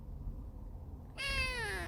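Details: Young female kitten on her first day with a new owner, described as talkative: after a low background rumble, a single loud, drawn-out meow that starts high and slides steadily downward.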